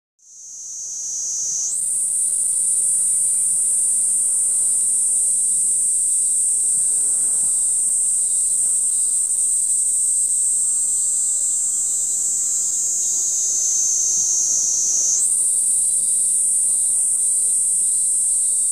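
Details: A Kaempfer cicada near a welfare hall in Moroyama, Iruma District, Saitama, Japan, on 20 July 2016 gives a steady, shrill, hissing drone that runs on without pause.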